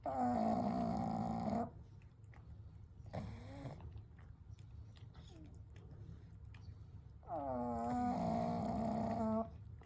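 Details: Pugs Kou, Gen and Shun, three dogs asleep together at night; two long buzzy, harmonic snores frame a quiet stretch of soft breathing and faint rustles, over a steady low hum.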